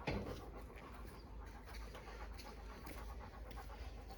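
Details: Labrador Retriever named Bek panting indoors, a steady run of soft breathy broadband bursts, roughly three per second, low and even in loudness with no voices over it.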